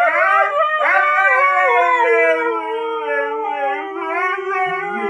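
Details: Siberian Huskies howling to communicate and demand attention at the start of a bike ride: one continuous loud chorus of smooth, slowly falling harmonic howls lasting the whole five seconds.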